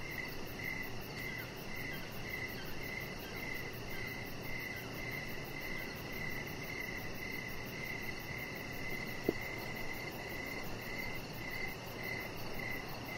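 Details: Crickets calling outside in the evening, a chihuahua puppy lying on a lit deck; high chirps come in regular pulsing bursts, a single sharp click near the middle, steady low noise underneath.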